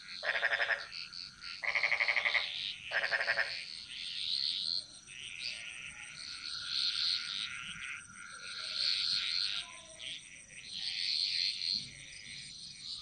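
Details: In a Bali jungle at night, a frog gives three loud, rasping, pulsed croaks over a steady chorus of insects and frogs.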